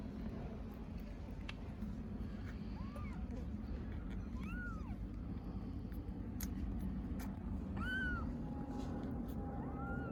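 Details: Stray kittens in Istanbul, hungry and meowing for their mother cat: about five separate arched, whiny meows spaced a second or two apart, some with a thin upper overtone, against constant low traffic-like rumble and occasional clicks.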